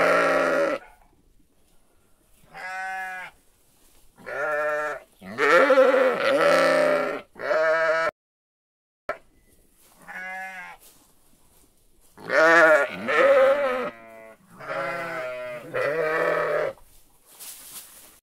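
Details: Sheep and lambs calling in a series of separate bleats, some short and clipped, others long and quavering, with pauses between them; a few higher-pitched bleats mixed with lower ones, and no other clear sounds.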